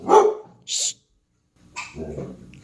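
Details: Two-year-old female Doberman Pinscher living in California, USA; one loud, sharp bark opens, followed by a brief hissing burst, a second of silence, then softer low rumbling sounds.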